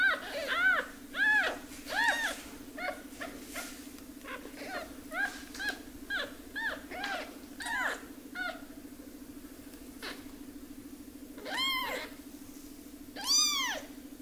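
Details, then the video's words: Motherless baby kitten being raised by hand; many short arched mews repeated about once or twice a second over a constant low hum, with two louder cries near the end. "Cry Of A Baby Kitten"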